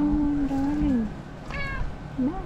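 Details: Irritated pet cat, pestered by a dog that keeps running around it wanting to play, gives a long level meow that drops at the end, then a brief harmonic-rich cry and a short rising mew; people talk nearby.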